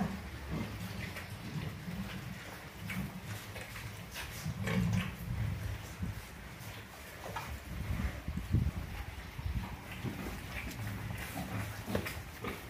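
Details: In Orobó, Pernambuco, Brazil, F1 pigs meant for breeding sows grunt deeply and irregularly, in clusters that grow louder around the middle, mixed with clattering and scraping noises in the pen.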